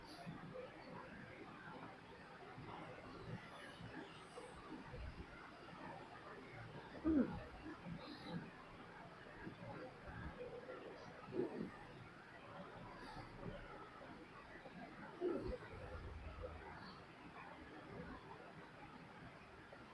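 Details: A sleeping pet dog snoring indoors: soft, low, rough breaths, with louder snorting bursts about every four seconds, near seconds 7, 11 and 15, over a steady faint background hiss.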